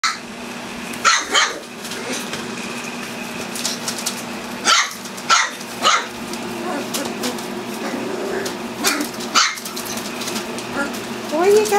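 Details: Eight black Standard Poodle puppies, four weeks old (four males, four females, born June 2014), playing together; short sharp yips and squeaky barks come in scattered bursts over a steady low indoor hum.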